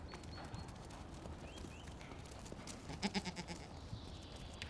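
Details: Tauernschecken goat kids, an endangered old Austrian breed once thought extinct, kept at the Tirolerhof farm of Tiergarten Schönbrunn, Austria. A short quavering bleat comes about three seconds in, with high bird chirps earlier and steady low outdoor background noise.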